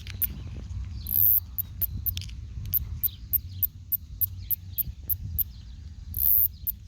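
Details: Northern snoring cicada, Kikihia cutora cutora, from New Zealand, whose male song is likened to a snoring person: sharp high ticks repeat about three times a second, with occasional louder buzzy bursts over a low rumbling background.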